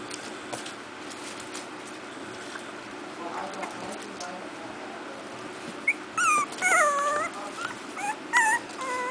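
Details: A new litter of 4-week-old Miniature Pinscher puppies gives high, squeaky yips and whimpers in short bursts after a quiet start while playing.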